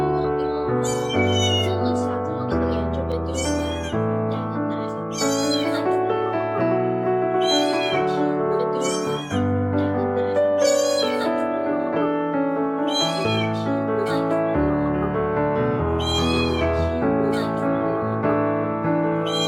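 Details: Tiny stray domestic kittens (Felis catus), abandoned near a countryside trash bin at night, cry for help in high, wavering distress meows repeated every two to three seconds over steady background music.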